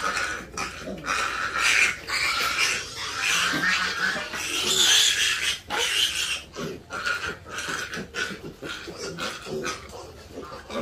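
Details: Piglets playing together, producing a dense stream of rough squeals and grunts, about one burst per second, overlapping and uneven, loud throughout.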